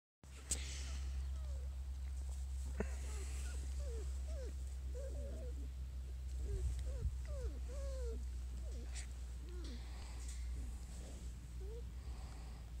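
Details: Jig's litter of five-week-old Small Munsterlander puppies at Gosch Kennels: many overlapping high, squeaky whines and yelps that bend up and down, almost continuous throughout, over a steady low hum, with a brief human voice.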